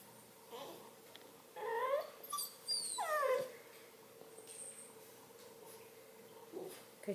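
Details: A male Redbone Coonhound pup lying in bed gives a couple of quiet, sliding whimpers that rise and then drop in pitch. A faint, steady hum runs underneath, with long quiet stretches between the cries.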